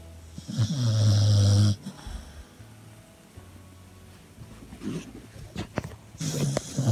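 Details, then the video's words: Hermine, a Beagle, snores while sleeping and dreaming: one long, deep, rumbling snore lasting about a second, then quieter soft breathing and faint rustling. "Auch Beagle schnarchen und träumen"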